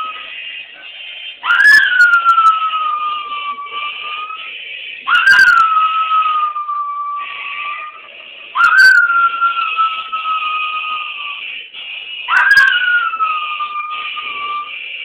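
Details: A poodle mix howls along to the national anthem during a presidential inauguration, in long, clear notes that start sharply and sag slightly, repeated every few seconds.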